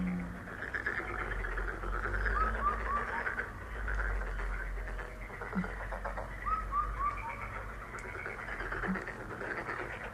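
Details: Frog chorus offered as a lucky, healing sound: a steady wash of overlapping croaks, with short sets of three falling whistled notes twice and a low rumble in the background.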